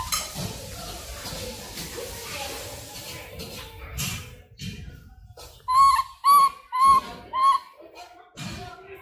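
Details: Langur, a monkey, calling in the wild: four loud, evenly spaced harmonic calls, each a short rising-falling note roughly half a second apart, after a stretch of faint background rustling and murmuring voices.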